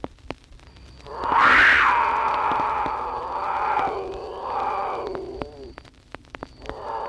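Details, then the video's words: Female mountain lion giving mating cries, played from an old worn wildlife-call record: one long wavering scream rising sharply then sliding down over about four seconds, with a shorter tail, over steady hiss and crackle. "The sounds you just heard were the mating cries of a female mountain lion."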